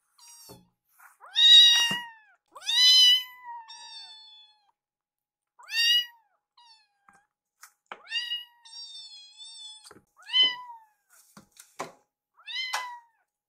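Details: Baby rescue kittens Yuki and Piyo plead for food while staring at their caretaker: short, sharp meows scattered irregularly about every one to two seconds, some rising, with occasional small knocks and clicks in a quiet room.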